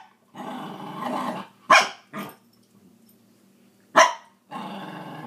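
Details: Maggie the scruffy Cairn Terrier, a pet dog protesting about sharing her toys, alternates rough, rattling growls with two sharp, loud barks, the last growl running on at the end.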